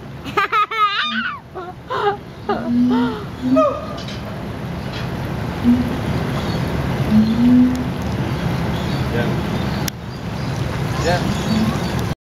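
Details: Siamangs at Riverbanks Zoo in Columbia, South Carolina, call loudly at each other one morning, with wavering whoops followed by short, deep booming notes over a low rumble.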